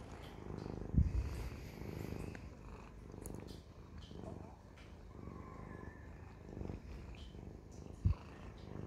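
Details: Siamese cat purring in regular low rumbling waves, inhale and exhale phases alternating, two sharp knocks near the first and eighth seconds.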